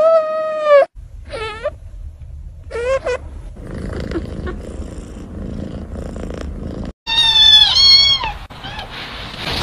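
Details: Pet male cat named Laolao giving a series of short, bright meows, a few early on and a louder cluster of rising-falling cries near the end, with a stretch of muffled rustling and room noise between them.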